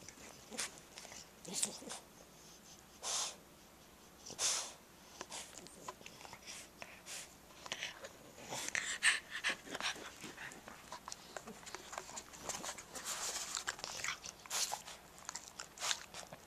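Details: Jack Russell Terrier Molly and French Bulldog Elmer playing together, recorded 30 April 2012. Scattered snorts, wheezy huffs and sneeze-like bursts come irregularly. Noisy scuffling play sounds fill the gaps.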